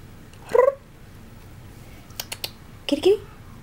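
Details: Korat cat, a pet, playing indoors: a short rising meow, then faint clicks and a second brief, two-part meow near the end. A person calls to the cat just before.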